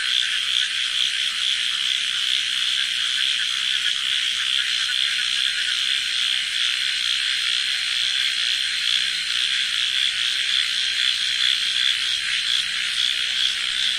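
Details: Deafening nighttime frog chorus in a village: countless overlapping rasping croaks merge into a constant pulsing drone, with slight rhythmic surges and a faint steady hum in the background.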